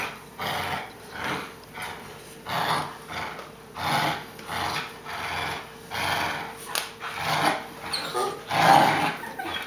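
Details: Playing Boerboel puppy growling in a steady rhythm, a rasping burst roughly every one to two seconds, each rising then dropping away, heard in a small indoor room.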